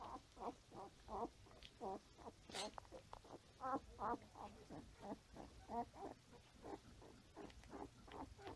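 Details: Five-day-old Standard Poodle puppies nursing on their mother and crawling around, filmed 6/8/14; rapid, uneven series of short squeaky grunts and whimpers, roughly two to three per second, with one sharper rising squeal early on.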